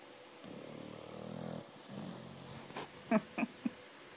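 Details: Sleeping American Staffordshire Terrier (pit bull) snoring heavily: one low buzzy rumbling snore lasting just over a second, then a softer breath, followed by several sharp clicking or knocking sounds near the end.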